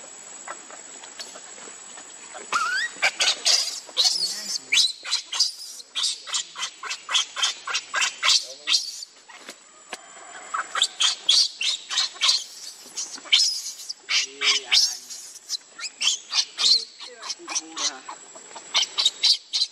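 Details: Lucie, a baby monkey refused milk by its mother, cries without pause: a long string of shrill, piercing squeals and wails in quick pulses, with only brief breaks between bursts.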